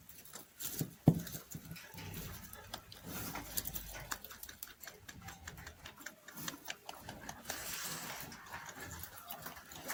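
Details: A rabbit (Oryctolagus cuniculus) munches hay, making rapid, dry crunching and soft rustling in quick, irregular bursts.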